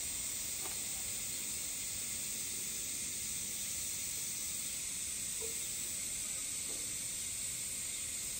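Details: On a hot summer evening near a forest with a mountain stream, higurashi cicadas give a steady, high sizzling drone echoing from afar without pause.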